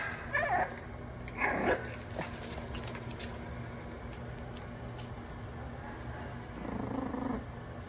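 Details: French Bulldog puppies playing wildly indoors: a couple of sharp high yips early on, then low rumbling growls with scuffling play noises underneath and a steady electrical hum throughout.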